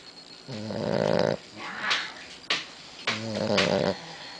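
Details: A pet dog fast asleep, snoring: two long, rattling, low snores about three seconds apart, with short sniffs and clicks between them, recorded indoors.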